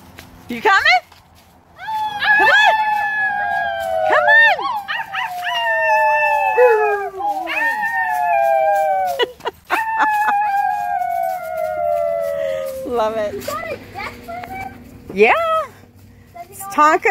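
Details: Alaskan Malamute howling with excitement when visiting nieces and nephews join him on the deck; long sliding howls, some rising then falling, others drawn out and slowly dropping, with short yips between and voices at the edges.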